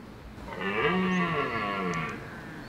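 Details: Wild red deer stag holding hinds in woodland during the rut, giving one drawn-out, deep, harmonic roar of about one and a half seconds that sinks slightly at the end, with faint high chirps behind.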